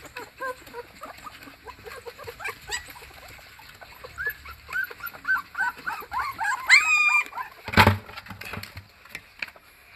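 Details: A crated puppy whimpers in short, high, bending cries that grow louder and more frantic, rising into yips and a sharp squeal, followed by a loud clattering knock near the end.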